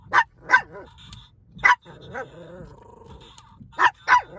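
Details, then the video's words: Pet dogs, tagged as a Shih Tzu and a Yorkie, barking at a Donald Trump talking pen toy from 7-Eleven: sharp, high yapping barks in pairs, with a low growly pause between them. "My Dogs Hate The Donald Trump Talking Pen From 7Eleven"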